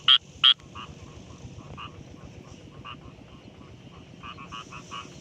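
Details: Rice field frog calling in daytime: two loud, sharp croaks at the start, then fainter, scattered croaks over a steady, noisy background.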